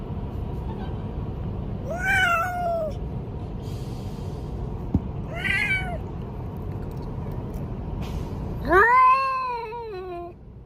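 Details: A cat giving three clear, drawn-out meows, each rising then falling, spaced about three seconds apart over a low background rumble. The last meow is the loudest.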